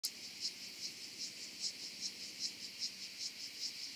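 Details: Oedaleus decorus grasshopper stridulating on Cres, Croatia, 27 July 2023: high, dry, hissing pulses repeated steadily about two and a half times per second over continuous high hiss.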